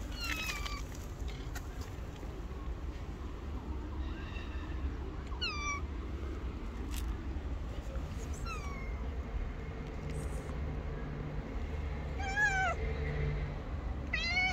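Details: Hungry homeless black cat and a companion stray on the street, meowing in short harmonic calls, some falling and some wavering, spaced irregularly across the stretch over a steady low rumble of street noise.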